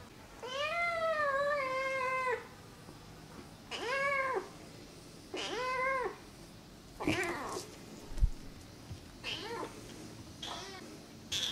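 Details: Namba, a one-eyed rescued feral kitten, in a run of loud meows: one long wavering cry, two shorter arched meows, then several brief, squeaky calls with small knocks between them.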